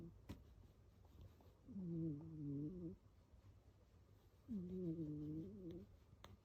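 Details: Sleeping pet cat named Kiyan snoring loudly indoors: two long, harmonic, wavering snores about three seconds apart, each rasping for around a second, with low room hum and a few soft clicks between breaths.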